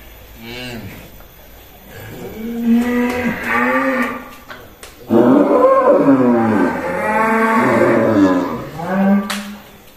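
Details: Massive cattle led out of its pen at a cattle farm in Indonesia; loud, drawn-out harmonic moos that rise and fall, several in succession, with men shouting encouragement and music in the background.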